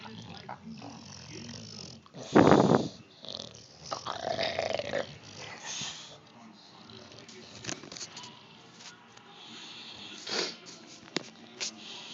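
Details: Crash the Bulldog making funny noises in the morning to wake and bother its owners indoors: rough snorting, growly grunts in irregular bursts, one loud blast near the start, with a television voice in the background.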